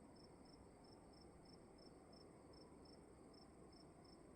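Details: Cricket chirping indoors in a room, bright high pulses every third of a second, evenly spaced, with a steady faint hiss and low background hum beneath.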